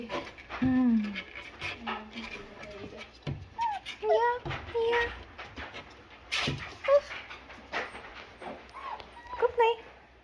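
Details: Five-week-old Double Doodle puppies give thin, high whimpers and short curving squeals, scattered between a woman's soft talking to them.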